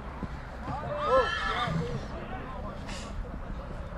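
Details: Stallions from Satu Mare, Bucovina, recorded in 2022: one short whinny with a wavering, descending tone. Voices speak throughout, and a brief hiss follows near the end.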